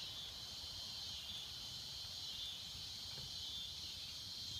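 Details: Constant high-pitched cicada drone from swamp habitat, steady and unvarying, with faint low background noise.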